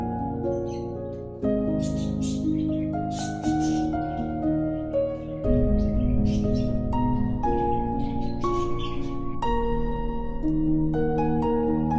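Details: Plucked harp-like music plays throughout with soft pizzicato notes and no animal sound.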